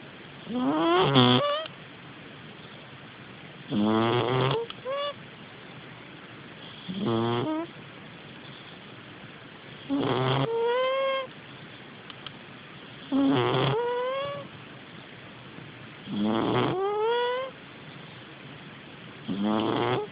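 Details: Domestic cat sleeping soundly and snoring: a rough breathing snore about every three seconds, each ending in a squeaky, whistled tone that rises in pitch, with quiet pauses between breaths.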